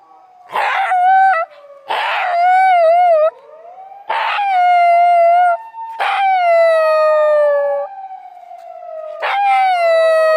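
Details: Black Shiba Inu on a walk, howling in reaction to a passing police car's siren: a series of loud, wavering, harmonic howls every one to two seconds over a steady, slowly falling siren tone.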